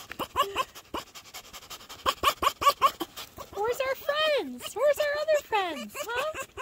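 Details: Foxes greeting a person who wakes them: quick clusters of high chirps, then drawn-out wavering whines and squeals that rise and slide down, with a woman speaking affectionately over the calls.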